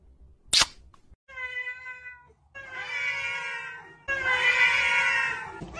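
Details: Pet cat in a humorous compilation: a sharp click, then a series of drawn-out, level meows and yowls that grow longer and louder, the last lasting nearly two seconds, in a quiet indoor setting.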